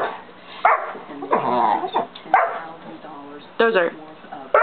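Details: Indoors, young St. Bernard Dozer, aged 5½ months, keeps barking to coax Simba into playing; heavy, abrupt barks break in among softer whines and a murmuring human voice, the last two barks close together.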